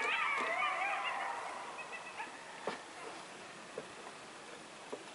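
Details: A coyote pack in rural Massachusetts, recorded in November 2015, howls together in a chorus of overlapping, wavering, high-pitched howls and yips that fade away.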